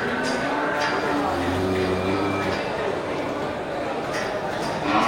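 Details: At the Geulumpang Payong animal market on 8 May 2021, local slaughter cattle crowd the yard. One deep, steady moo lasts over a second against a dense background of people talking.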